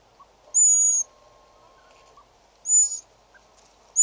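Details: Slender mongoose calls at Djuma waterhole in South Africa, recorded 6 July 2013: a sharp high whistle, a pause of nearly two seconds, then a shorter wavering whistle and the start of another, over a low hum.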